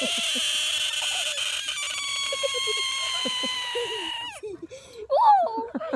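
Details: American bullfrog screaming while held in the hand: a loud, sustained, nasal wail with rich stacked harmonics for about four seconds, then breaking off into short bursts, with a person's voice between calls.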